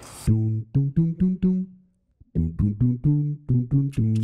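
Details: Short, evenly spaced musical notes with clear tones play in two runs separated by a brief pause, with no animal voice present.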